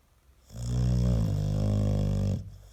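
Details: American Staffordshire Terrier, a pet dog, snoring loudly indoors: a single sustained, low, rattling snore of about two seconds with a steady vibrating drone.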